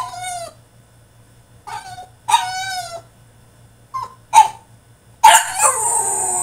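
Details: Tantrum from a French Bulldog shut in his cage: separate harmonic yelps with gaps between them, a pair of clipped barks, then a harsh, noisy outburst at the end.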